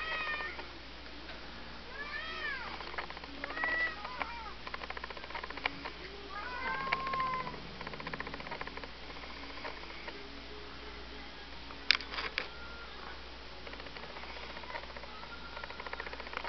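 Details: Sweet two-year-old Domestic Shorthair female, a former mother of seven, awaiting adoption at a shelter; repeated short arched meows in the first half, then a sharp click, with constant low hum behind.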